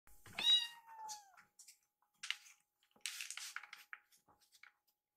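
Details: Rescued kittens waiting to be fed indoors: one clear rising-then-falling meow near the start, followed by soft scuffling, clicks and rustling noises.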